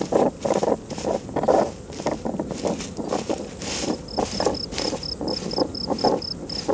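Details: European hedgehogs in mating season in a garden, where they live and breed in a stack of wood, fighting or courting: rhythmic puffing snorts in short bursts, with a steady high chirping insect pulsing through the second half.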